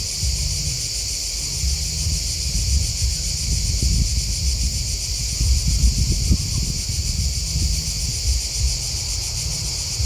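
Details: Crickets chirping in a dense, unbroken chorus of fine, rapid high-pitched pulses, with a steady low rumble of background noise underneath throughout.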